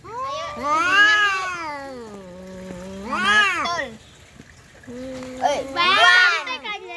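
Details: Domestic cats in a fight, giving three loud, wailing yowls separated by low, steady moaning growls; each yowl swells upward and bends back down.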